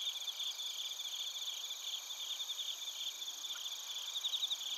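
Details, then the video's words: A chorus of bell crickets and crickets in Narita, Chiba Prefecture, Japan, recorded with a TASCAM Portacapture X8. Overlapping shrill ringing trills in stacked high pitches run without pause, with bursts of brighter tinkling notes near the start and end. "スズムシとコオロギの鳴き声 - Chirping of crickets"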